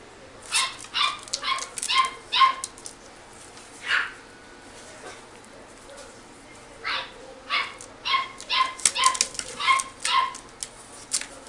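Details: Toy Poodle × Shih Tzu mix puppy in a pet shop yapping in clusters of rapid high-pitched barks, a brief pause midway, then another quick run of sharp yips over faint room hiss.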